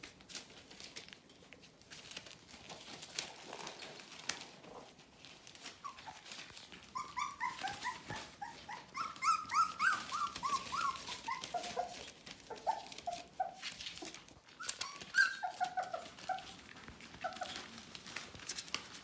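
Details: Bohemian Shepherd puppies of the F litter, nearly four weeks old, indoors; high thin whimpers and squeals, rising and falling, come in clustered bursts from the middle of the recording, over steady scratching and rustling.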